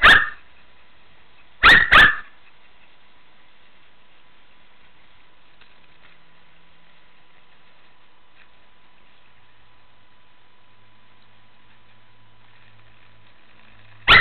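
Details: A Shih Tzu playing in a swimming pool: one sharp bark at the start, two quick barks close together soon after, then a long quiet stretch with a steady faint hum before one final bark at the end.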